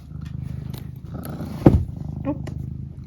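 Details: Eric, a pet cat, purring steadily in low rapid pulses, broken by a sudden short mrrp near the middle and a brief higher chirp soon after; quiet indoor setting.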